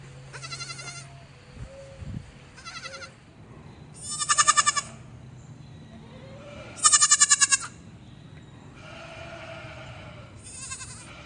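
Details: Baby goat on a farm bleating in short, high, quavering bursts with a pulsing vibrato, about six calls spread over eleven seconds, two of them much louder, over a low steady background hum.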